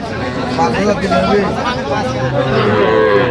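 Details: Young bulls and heifers at a busy livestock market, filmed 27 January '26; a short, low, drawn-out bovine low sits under overlapping men's voices and general market commotion.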